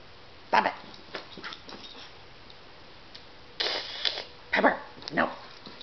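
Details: Beagle named Pepper, itchy and scooting on its rear: a few short, sharp barks or yips spaced unevenly over several seconds, with quiet indoor background between them.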